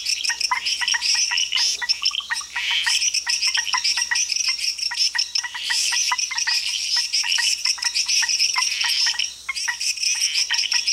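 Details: Costa Rican frogs calling together in a dense chorus of rapid high clicks and tinkling chirps, nearly continuous, with louder surges and a brief lull near the end.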